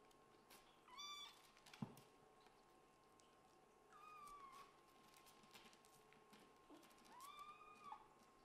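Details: Scottish Fold and British Shorthair kittens indoors, fighting over a bed; three drawn-out, rising-then-falling meows with rich harmonics, spaced a few seconds apart, with a sharp knock near the second second and faint rustling throughout.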